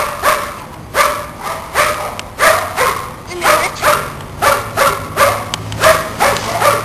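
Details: Belgian Shepherd puppies, 45 days old, biting and playing, giving a string of short yappy barks roughly once a second, high-pitched and regular, with some human voice in the background.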